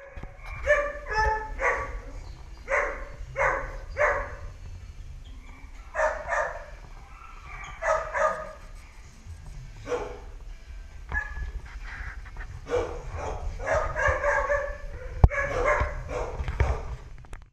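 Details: Two-year-old male Walker Hound, a thin former stray in shelter care awaiting adoption: loud repeated barks and bays in irregular groups, each a short harmonic burst, over a steady low hum of background noise.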